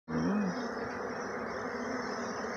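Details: Honey bees at hives in Jamaica, a man handling them with bare fingers; dense steady buzzing hum fills the recording with a low tonal drone, brief voice at the start.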